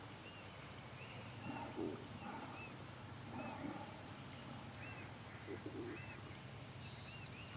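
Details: Orca pod passing San Juan Island county park, Puget Sound, around 5:30 am: short arching squeals and wavering tones rise faintly over a steady underwater hiss.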